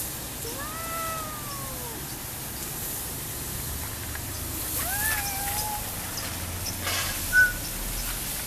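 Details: A cat at Taman Teluk Intan on a sunny afternoon, 28 December 2012, gives a drawn-out meow that rises then falls, followed about four seconds later by a shorter second meow, over steady outdoor background hum.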